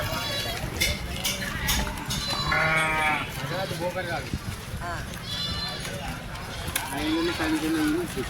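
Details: Sheep and goats for sale at a Sunday village market at Chilpur Gutta, bleating in quavering, wavering cries among a crowd, with loud continuous chatter and voices of people throughout and a long bleat near the middle.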